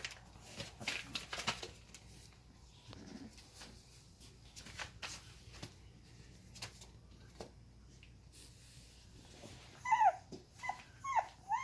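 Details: Young Boxer puppies, three females, indoors, give brief, thin, high-pitched whimpers and squeaks near the end after a long stretch of quiet rustling.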